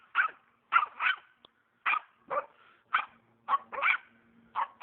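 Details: Norrbottenspets on private property in Oregon barking at squirrels: loud, sharp, bright yaps, some in quick pairs, spaced roughly half a second apart, with a faint low hum.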